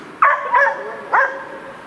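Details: Hunting dog barking at game during a sable hunt, two sharp, harmonic barks about a second apart, each with a short yelping onset and a brief tail, over a quiet background.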